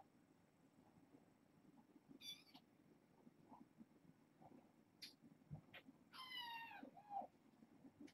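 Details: Foster kittens, six littermates born August 29th, settling at bedtime; short thin mews at about two seconds and a longer harmonic mew near six seconds falling at the end, with small clicks and rustles over low room hum.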